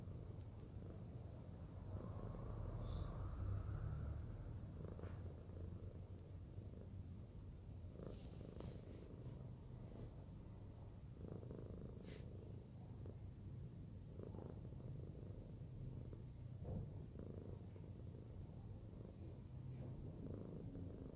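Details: Fluffy pet cat being cuddled, purring in a steady low rumbling drone throughout, with faint rustling and a few soft clicks.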